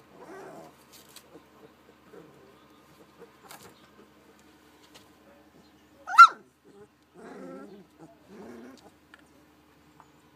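A young puppy makes low, grumbling whimpers in short bursts. Midway comes a single sharp yelp that sweeps upward, followed by more soft, wavering whines.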